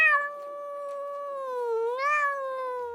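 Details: A domestic cat gives a long, sustained yowl, a moaning tone that dips and then swells; yowling expresses discomfort or upset, or attracts a mate or wards off rivals.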